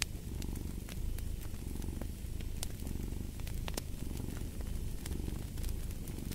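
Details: A cat's purr rumbles low and even, breath-paced swells repeating about once a second, accompanied by sharp intermittent pops of burning wood in a fireplace.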